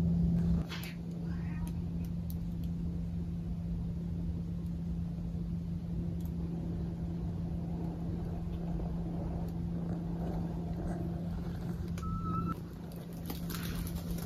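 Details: Maple the cat purring steadily, a continuous low rumbling drone with a constant hum above it; a brief short tone near the end and faint rustles.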